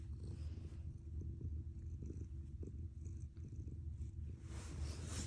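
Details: Domestic cat purring like a running engine, even low rumbling pulses throughout, ending with a short hiss of rustling noise.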